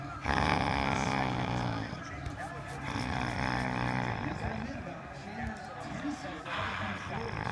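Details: A Bull Terrier grumbles and growls in low, throaty bursts while teasing to play with a rope-handle ball, with human voices nearby.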